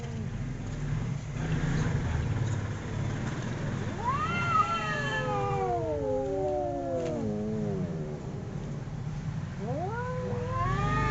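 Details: Domestic cats fighting, howling: after a noisy low rumble, a wavering yowl rises then slowly slides downward, followed near the end by another rising wail.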